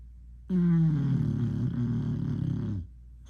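A deep, rough snore from an English Bulldog rumbles for a little over two seconds. It starts abruptly, slides gently lower, and breaks off into quiet, with only faint room hush around it.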